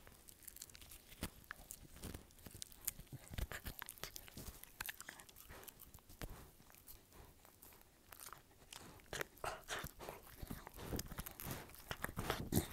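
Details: Dog crunching food indoors with rapid, irregular bites, roughly three or four crunches a second, sometimes heavier and thuddy, louder near the end.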